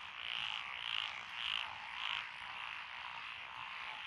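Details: Rice-paddy frogs calling among lotus fields in Echizen, Fukui Prefecture, Japan, June 2021. Four loud pulsed croaks spaced about half a second apart stand out, then fade into a continuous droning chorus of many callers.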